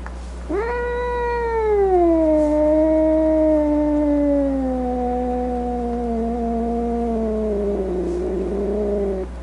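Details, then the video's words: Domestic cat voicing one very long drawn-out meow: an abrupt start sliding downward, then a level, slightly wavering tone lasting about eight seconds, ending rougher and lower; faint steady hum behind. "Cat Sounds | Cat Meow Sounds, Snarling Sounds, Hissing Sounds | The Sounds a Cat Makes"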